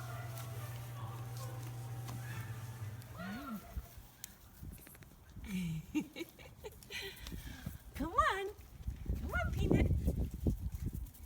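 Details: Five-week-old black British Labrador Retriever puppies from a litter of six, one called Peanut, give short high whines that rise and fall, with a loud whimpering burst near the end, under a woman's fond chatter and background hum.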